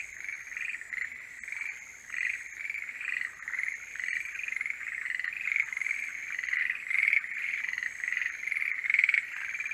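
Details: Forest green tree frogs in full mating-season chorus, dense overlapping croaks that build louder toward the end, with a faint high steady whine in the background.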